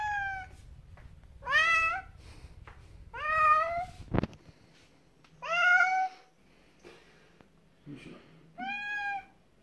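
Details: Pet cat protesting while dragged to a bath, bathed with special shampoo on veterinary advice; four loud, bent meows, each about a second, spaced roughly two seconds apart, with a sharp knock and faint background murmur.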